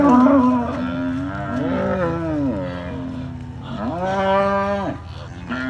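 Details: Cattle in Vina, Alabama, on 25 November 2021, mothers with newborn calves upset by a visiting cattle egret: a cow gives a long, low, rumbling growl rising into drawn-out moo-like groans in two main bursts.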